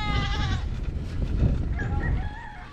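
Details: Goat crying in a pitiful voice near a seaside fishing village in Moalboal, Cebu, Philippines, captured on a GoPro 9: one wavering bleat at the start, a fainter one later, under heavy low rumbling wind and movement noise.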